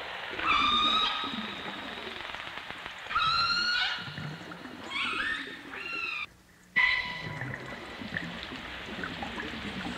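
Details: Underwater dolphin and orca sounds in stereo, 1989: bright, buzzy harmonic calls come in separate bursts of about a second each, some rising and some falling. A brief near-silent gap is followed by a steady, flatter tone over a crackling water background.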